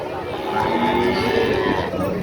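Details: Cattle at Pasar Pahing cattle market in Nganjuk, Indonesia: a short moo with a wavering tone rising slightly then falling, over steady market noise.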